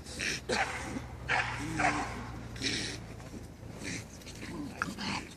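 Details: Barking from male dogs at the Førde Camping dog show, 28 April 2011: bursts of loud, rough barks at irregular intervals, mixed with people talking and a low electrical hum.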